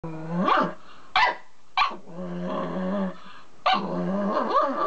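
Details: Black Mame Shiba Inu indoors, reacting to its own reflection in a mirror: low drawn-out growls with rising and falling tonal whines, broken by four sharp, loud barks at irregular intervals.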